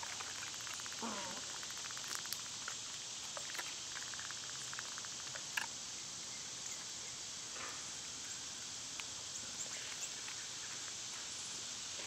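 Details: Loud summer cicadas produce a continuous high, sizzling drone without pause, overlaid by occasional short clicks and light patter-like taps.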